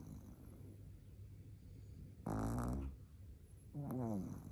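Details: Sleeping Shih Tzu puppy Nao, aged four months, snores twice: a harsh, buzzy half-second rattle, then a quieter snuffling one about a second and a half later over a low steady hum.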